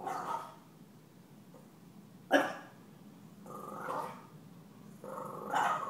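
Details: Pet puppy Stella, teased by Gomez the deaf cat, lets out a single loud sharp bark between rising, tonal growl-whines that swell and fade.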